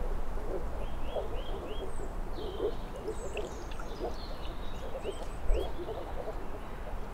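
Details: Many moor frogs give low, hollow, pulsing calls in clustered bursts roughly every half second. Above them, a bird repeats a short rising whistle four times, and other birds chirp and trill.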